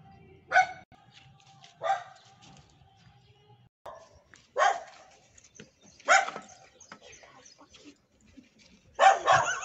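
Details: A neighbour's dog gives five sharp, separate barks spaced one to three seconds apart, with a faint low hum in the background.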